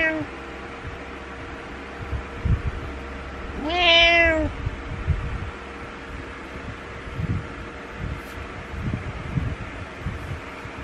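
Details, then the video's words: Pet cat meowing indoors in the morning to get its owner out of bed, disliking being alone: one loud drawn-out meow near four seconds, rising then falling, over a steady low hum and soft rustling. "Cat refuses to stop meowing until owner wakes up"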